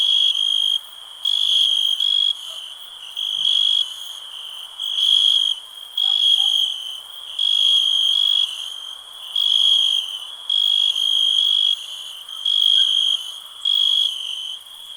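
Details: Cricket chirping in half-second bursts about every second and a quarter over a continuous high, ringing trill, the pulses coming steadily throughout.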